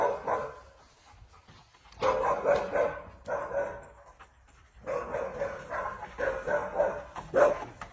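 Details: Alaskan Malamute giving a morning vocal performance: four drawn-out, wavering woo-like howls with rising and falling pitch, separated by short pauses across eight seconds, with no other clear sounds.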